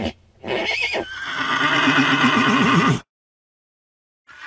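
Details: A single horse gives a long, loud whinny lasting about three seconds, starting high and shrill then breaking into a rapid, shaking tremolo toward the end, followed by silence.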